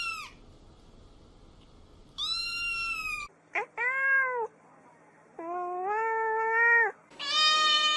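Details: Several domestic cat meows follow one another at clearly different pitches. Some are high and arched, and others are lower, longer and flatter. Between calls the background shifts abruptly from a faint hum to near silence.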